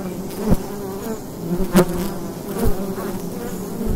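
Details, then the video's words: Daytime fall recording at a wild beehive entrance: continuous low bee hum broken by short, sharp buzzes of bees flying past the recorder, four in quick succession. "Wild Bee Hive in the Daytime - ambient sound"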